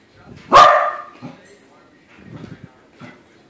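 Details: A corgi meeting a corgi-shaped balloon lets out one sharp, loud bark, followed by quiet murmuring human voices and soft rustling.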